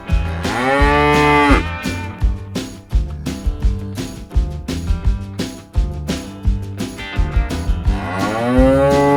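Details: Cow mooing: a long, drawn-out moo with an arching pitch near the start and another at the end, heard over continuous plucked guitar-like background music.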